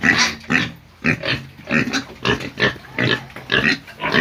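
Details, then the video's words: Pigs squealing in a fast series of loud, harsh, rasping bursts, about two each second, each a broad noisy squeal with grunting undertones. "pigs squealing sounds"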